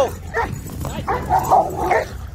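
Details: Two eleven-month-old Dogo Argentino brothers in a park give a run of quick, rough barks and yips that overlap, with faint low traffic-like rumble beneath.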